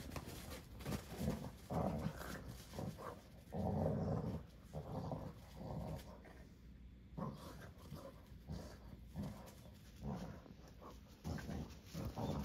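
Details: Mischievous male rescue puppy Sora gets told off by the older resident dog at home: low rumbling growls in a run of bursts, loudest near four seconds, then sparser short grumbles over faint indoor background noise.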